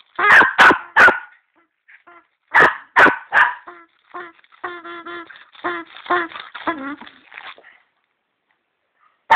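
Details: Three loud barks from the dog Bruno come in quick succession and are repeated after a pause. A fast train of softer, higher, yipping barks follows before quiet returns.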